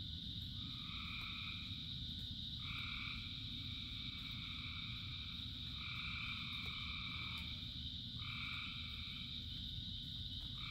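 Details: Chorus of many frogs calling in rain: steady dense trilling with a constant high shimmer, long sustained notes stepping on and off every couple of seconds, over a continuous low rumble of rainfall.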